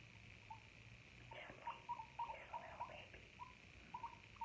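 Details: Guinea pig captured close for a no-talking ASMR piece: a quick series of tiny pure squeaks, about four a second in places, with brief pauses and light rustling under a constant soft hum.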